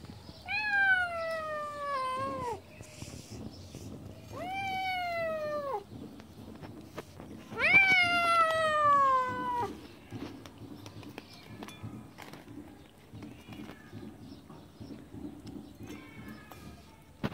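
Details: Siamese cat, jealous and guarding its fish, lets out three long, loud, harmonically rich meows that fall in pitch, then the room goes quiet apart from faint rustling.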